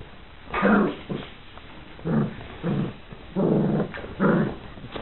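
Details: Four Irish Water Spaniel puppies playing with a Bichon Frise companion, producing low rough play growls in bursts of about half a second, five bouts over several seconds, with quieter snuffling between them.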